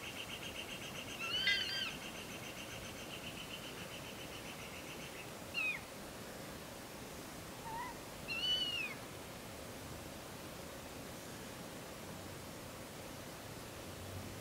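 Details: Morning barks from a local red fox in Conifer, Colorado: three hoarse, harmonic, arching yelps at roughly three-second intervals over steady low background hiss.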